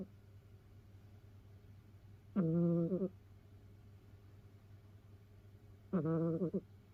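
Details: Snoring of Mimi, a rescued domestic cat from a multi-cat household, asleep indoors: two nasal, voiced snore tones with several harmonics, each lasting about half a second and spaced roughly three and a half seconds apart over a steady low hum.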